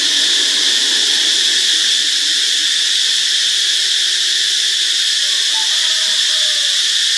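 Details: Cicadas in Ubon Ratchathani, Thailand, on Friday, March 26, keep up a dense, shrill, unbroken buzzing drone. Faint low whistled notes come in near the end.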